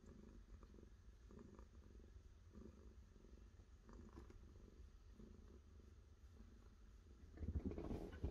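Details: Cat purring in deep, even pulses that rise and fall with each breath, ending in a burst of louder rustling close by.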